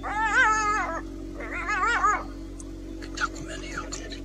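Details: A jackal, one of a pair facing off against a caracal, gives two wavering, wailing calls, the second shorter, over a steady low hum.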